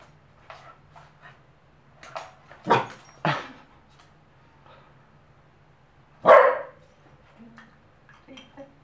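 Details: An 11-month-old Pembroke Welsh Corgi reacts to soap bubbles for the first time, filmed with a Nikon D5100: a few sharp barks near the start and one loud bark later, with soft whines and low hum between.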